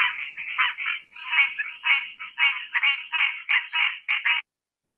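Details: Duck-like calling of a green tree frog, likened to a duck-hunting call, as a run of harsh, nasal quack notes delivered in quick succession over about four seconds, then silence.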